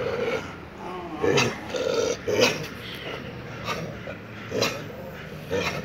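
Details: Four street dogs quarrelling at a house: low, rasping growls pulsing roughly once a second in short repeated bouts, with sharp snaps cutting through between them.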